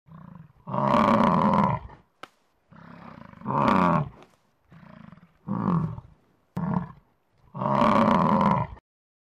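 Deep, throaty bellows from a bison roll out one after another, each a drawn-out, rasping roar. Quieter grunting sounds fill a few of the gaps between the louder calls.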